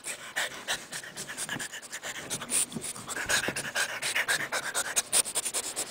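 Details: French Bulldog puppy, one of the pair Dobby and Cookie, playing under a bed with a Boston Terrier. Rapid, breathy panting in quick regular bursts, several per second, steady throughout, with light rustling and bumping around it.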